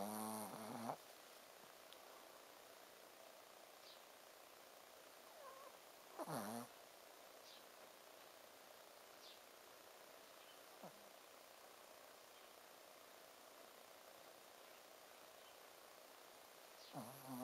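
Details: Sleeping soundly, the Shih Tzu Ponzu gives three short, buzzy, nasal snores, each 'buu' sound dipping slightly in pitch, spaced roughly six and ten seconds apart, with steady low room hiss and a few faint clicks between.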